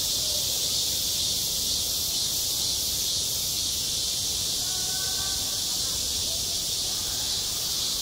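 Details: Midsummer cicada chorus over a school playground, an unbroken shrill buzzing hiss holding constant, with a few faint distant voice-like tones in the background.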